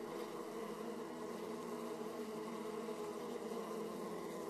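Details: Steady droning of many honey bees at beehive flight entrances in Austria, 31 March 2014, 18°C, filmed with a small action camera. Even, unbroken hum with stacked tonal bands and slight flickering texture.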